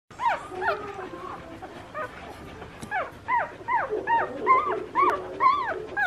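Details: Two-day-old Collie puppies, litter of the dog Ayame, recorded 17 August 2022, giving high, thin whimpering squeals that bend up and down, several overlapping cries repeated rapidly, roughly twice each second, with short pauses between bursts.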